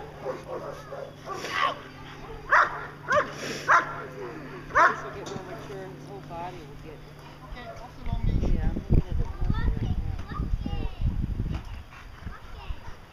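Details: Achilles vom Darland Haus, a 14-month-old German Shepherd Dog doing protection work for Schutzhund, lets out four or five spaced barks, followed by a loud low rumbling noise.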